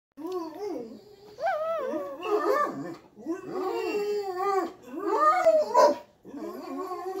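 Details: Cane Corso playing with its puppy sister indoors, giving drawn-out howling moans that rise and fall in pitch, arriving in four long, wavering bursts with short gaps between them, while a person coaxes it to speak.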